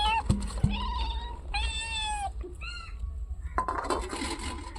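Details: Cats gathered for fish prepared for them give separate flat, drawn meows, three or four clear ones spaced about a second apart, then shuffling noise, with sharp taps at the start.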